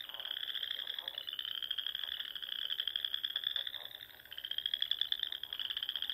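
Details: Dusk chorus of frogs at a Sandhills pond in Nebraska in spring: unbroken high pulsed trills, briefly dipping near the fourth second, with scattered short lower croaks beneath.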